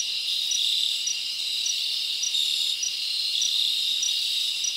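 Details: A dense chorus of crickets in a forest on a summer night fills the air with a high, shimmering trill, with sharper pulsed chirps standing out at intervals of roughly a second.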